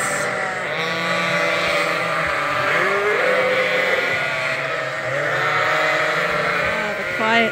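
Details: A barn full of hungry lambs waits for the hand-made bottle feeder at Ewetopia Farms. A thick, continuous mass of overlapping bleats rises and falls, with brief human speech mixed in.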